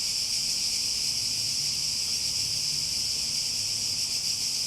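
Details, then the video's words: Continuous droning of cicadas, a shrill, uniform buzz filling the high register without pauses or rhythm changes, a faint low rumble underneath. "Relaxing Sounds With Cicadas"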